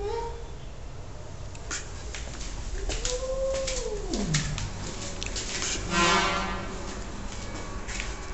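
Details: A cat utters a brief cry at the start, then one long meow that arches and falls steeply in pitch, followed by a softer low whine. Clattering knocks and bursts of broadband noise surround the calls.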